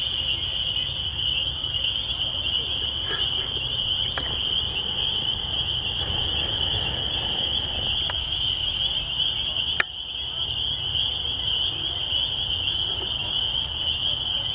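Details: A dense chorus of spring peepers, heard in the country at a church with red-winged blackbirds about, forms a steady, high, shimmering ring of overlapping peeps.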